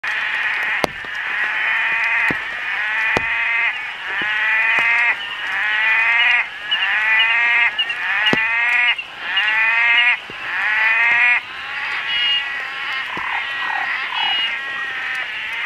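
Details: Orange-thighed treefrog giving harsh, bleating notes, repeated about once a second in a steady run, after a heavy downpour, when dozens came down from the canopy to breed in new puddles along small streams.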